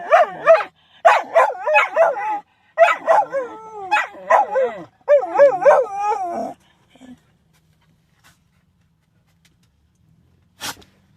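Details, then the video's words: Shetland sheepdogs giving a run of short, bending yips and yodelling howls in quick bursts for about six seconds, then near-silence with one faint sharp click near the end. "Shelties sneezing and howling"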